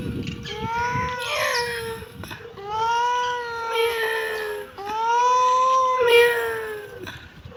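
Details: Kittens meowing: three long, drawn-out meows, each arching gently up and then falling, with rich harmonics. Each lasts over a second and is separated by brief pauses.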